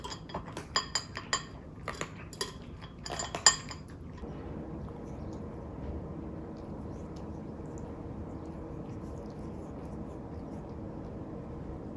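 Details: Clinking of dishes and cutlery for about four seconds, then only a quiet indoor room hum, with no animal calls.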